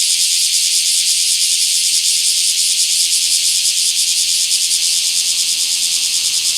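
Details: In a small park on 24 July 2026, a bear cicada keeps up a loud, shrill, rasping buzz, evenly sustained with quick rhythmic pulses woven through it.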